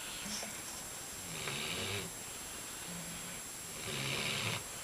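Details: Two dogs, CP and Lilly, being dogsat, sleep stretched across a bed and snore loudly: breathy, rasping snores swell in about two long pulses a couple of seconds apart, over a steady hiss of room noise.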